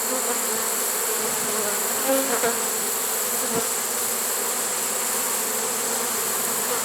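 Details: Late-season honey bee swarm in a swarm trap, recorded September 1, 2019, giving a diffuse, even hum under a constant hiss, with a couple of faint clicks.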